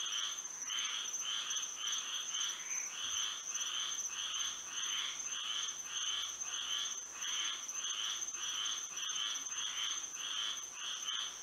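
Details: Florida frogs singing through a moonlit night, with clustered harsh trilled calls in uneven groups, a busy overlapping chorus, and a persistent shrill drone in the background.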